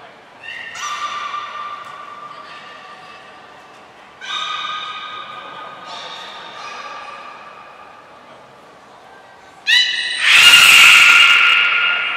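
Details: Belugas, all animals taking part, during a training session at Port of Nagoya Public Aquarium on 2 April 2023: long, steady, harmonic-rich squealing notes in three drawn-out bouts, then a sudden loud broadband burst near the end.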